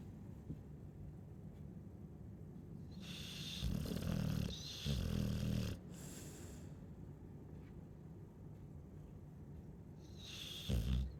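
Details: A Chow Chow asleep and snoring: two rough, low snorting breaths in quick succession, then soft breathing, with a short noisy snort at the end.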